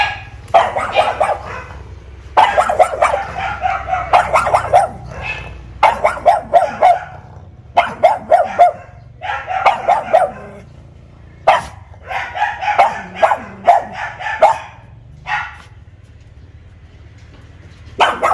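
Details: Newly gifted pet pug, caged in front of the house because it is not yet used to its new home, barks to guard it while a visitor teases it: bursts of sharp, mid-pitched barks in quick clusters separated by brief pauses.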